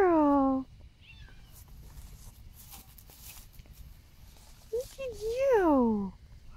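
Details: A female serval, affectionate in the morning, purring, rubbing and headbutting, gives two loud, falling, harmonic meows, with a woman speaking softly between them.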